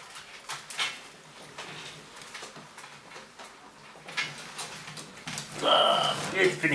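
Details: Golden Retriever puppies of a B litter at a Westerwald breeder in Germany, held indoors: faint clatter and soft knocks, then a loud high whining whimper with clear layered overtones near the end.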